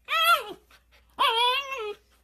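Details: Siberian Husky giving two drawn-out, whining, howl-like calls, each under a second long. Both rise slightly, hold, then slide down at the end, with rich harmonics and a short pause between them, indoors with little background noise.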